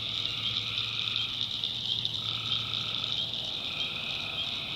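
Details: Tree frogs calling at night in a North Carolina backwoods swamp: a steady, dense, high trilling chorus throughout, with a lower sustained note joining midway and a faint low hum underneath.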